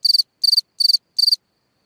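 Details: A singing cricket at night beside its hole in the ground, giving four clear high chirps, each a quick burst of about four pulses, spaced under half a second apart, then falling silent.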